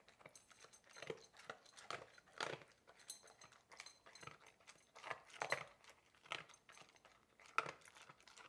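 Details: Labrador Retriever named Coco crunching food during an excited mealtime in a small indoor room; loud, irregular bites and grinding chews about every half second, with brief pauses between mouthfuls.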